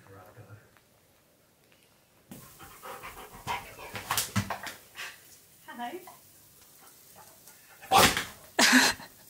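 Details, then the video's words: A happy pet Husky being given all of his favourite things pants rapidly indoors, with sniffing, scattered snuffles and two sharp snort-like bursts near the end; a woman talks to him. "Giving My Husky ALL Of His Favourite Things! He’s So Happy!"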